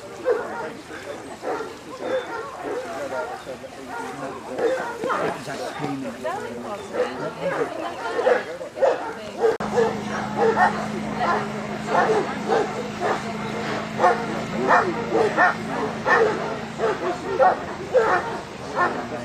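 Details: Newfoundland dog during a water test at Lake Bala, Wales, in rough, choppy water; loud barks repeat about once a second, mixed with people talking and calling encouragement, with a steady low hum through the later part.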